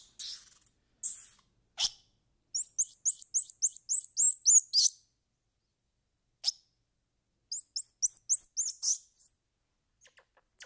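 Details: High squirrel monkey chirps: two rapid runs of curving peeps, each about two seconds long, between noisy squeaks, clicks and gaps of silence.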